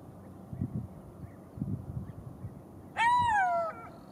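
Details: Golden jackal howl: one strong wailing note that climbs briefly and then falls away, lasting under a second, after soft low thumps and scattered quiet background noise.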